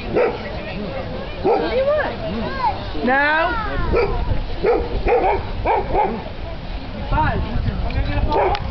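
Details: Dogs at a local dog park, where a Golden Retriever and a Saint Bernard are playing: short barks and a few high, sliding whines repeat through the scene, with people talking over them.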